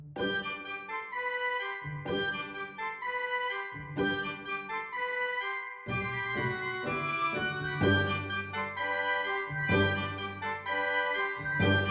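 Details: Bright keyboard or organ music plays throughout in repeated phrases.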